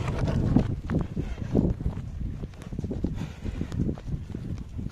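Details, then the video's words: Working oxen at Nandavaram snorting as they come home from work, with low rough breathy bursts about once a second, shuffling hooves and general outdoor rural noise. "పని నుండి ఇంటికి వచ్చేటప్పుడు బుసలు కొడుతున్న ఎద్దులు"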